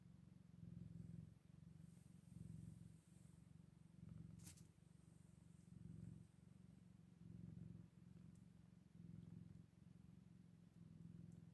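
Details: Scottish Fold kittens eight days after birth: a steady, deep, rumbling purr that swells and fades with each breath, roughly every one to two seconds, with a faint click partway through.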